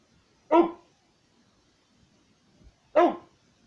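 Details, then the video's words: A 13-year-old pit bull barks while watching outside the window. Two short, loud, harsh barks come about two and a half seconds apart, with near silence between them. "A 13 year old pitbull barking"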